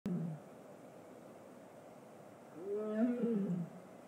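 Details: A captive tiger at a big cat rescue sanctuary 'talks' with a short, wavering, tonal moan that rises and falls for about a second, following a brief low sound at the start, over quiet background.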